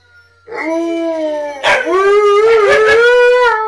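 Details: Siberian Huskies Tonka, Monroe and K'eyush howling together: a steady long tone, then a second voice joins with a rising, wavering howl that holds to the end.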